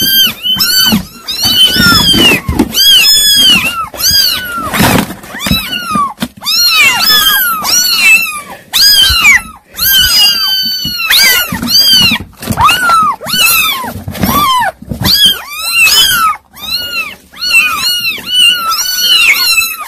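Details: A litter of kittens crying nonstop for twenty seconds, a dense stream of short, high, arched mews overlapping from several voices with only the briefest breaks.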